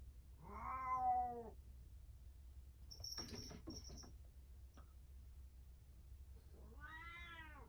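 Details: Momo-chan, a house cat at a cat tower indoors, meows twice: a first meow of about one second, then after rustling and clicks a second slightly rising meow near the end.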